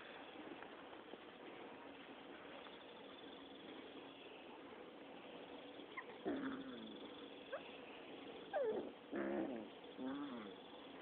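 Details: Six-week-old Rottweiler puppies fighting and playing: a low rumbling background broken by several short yelping whimpers after the sixth second, each rising then falling, with scuffling in between.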